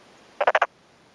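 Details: Male black-spotted pond frog calling by day with both cheek vocal sacs inflated, answering another nearby male, in a freshly flooded, puddled rice paddy in rural Tokuji, Yamaguchi City, Japan, afternoon of 2 May 2011; one quick burst of four rasping pulses.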